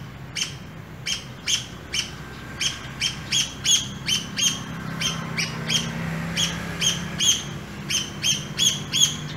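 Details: A pair of squirrels in an urban area during an early morning walk giving sharp, high chirps repeated about three times per second in an uneven series, over a steady low rumble of passing vehicles.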